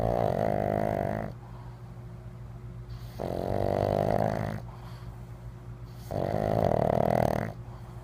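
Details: Winston, a pug, snoring while sleeping: loud rasping snores, each about one and a half seconds long, repeat roughly every three seconds with quieter breathing between them, indoors.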